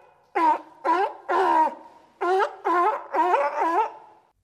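A seal gives a run of short, wavering, nasal calls, each rich in harmonics.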